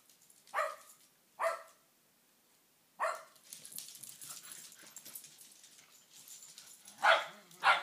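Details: Shetland Sheepdogs attacking shins give loud sharp barks, two quick ones near the start, another at three seconds, then scuffling and rustling before a final pair of strong barks at the end.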